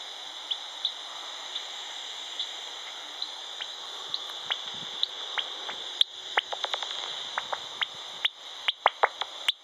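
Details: Bat at de Kleine Staarman, Nieuwlande, 21 September 2013: rapid dry ticks and clicks, quickening toward the end, over a steady high whine.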